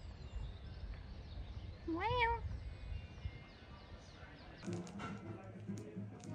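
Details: A cat gives one short, clear meow that rises and then falls, with a low background murmur, and clattering noises follow a few seconds later.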